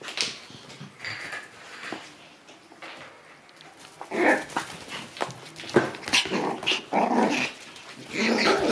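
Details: Shiba Inu puppies turning up at daycare in high spirits, with sparse early yelps, then louder rough barking and growling bouts crowding the second half.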